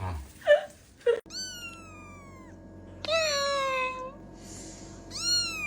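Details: Kitten meowing: after a brief burst of voices, a long high meow falls slowly in pitch, followed by a short, bright second meow near the end, both clear and tonal.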